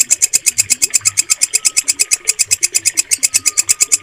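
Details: Close, crisp song of a walang kecek, the green bush cricket used to train pet birds: bright, buzzy pulses very high in pitch, roughly seven per second, with a faint thin whistle running underneath.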